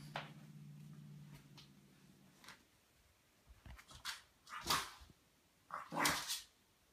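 A French Bulldog puppy gives a few sharp, harsh barks after a low, steady hum.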